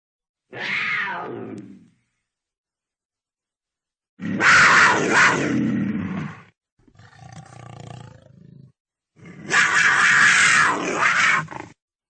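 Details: Cougar uttering a short falling snarl followed by two longer, broad, grating roars of about two seconds each, with a softer rumbling call between them.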